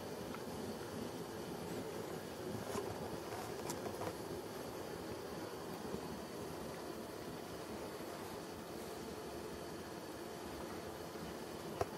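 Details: Steady machine-like hum and broadband indoor noise with a few faint clicks, and no animal voice heard.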